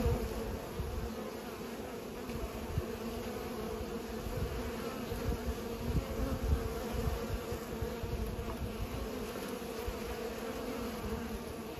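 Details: Bees pollinating give a steady droning buzz over deep rumbling low noise, likely wind or handling, with loudness swelling in the middle.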